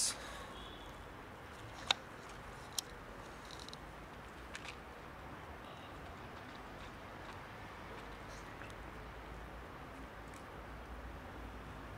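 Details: Quiet background hiss with a few sharp isolated clicks.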